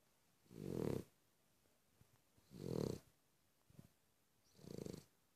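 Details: Cavalier King Charles Spaniel snoring: three low, throaty, rasping snores roughly two seconds apart, each a rough pulsed rumble lasting about half a second, with a faint click between the second and third in an otherwise quiet room.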